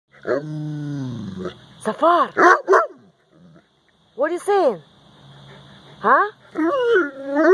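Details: Central Asian Shepherd Dog vocalizing to its owner, a drawn-out moaning howl followed by arched, rising-and-falling whining yowls in short bursts with pauses, like talking back; a steady faint hum in the background.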